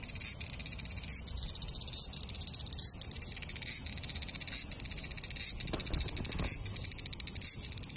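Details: A large brown cicada (Graptopsaltria nigrofuscata) sings at 21 degrees, a dense, sizzling buzz like oil frying that runs on without pause.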